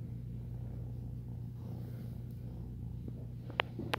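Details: An ex-feral foster kitten purrs while making biscuits (kneading), a steady, low, rumbling drone with a couple of soft clicks near the end.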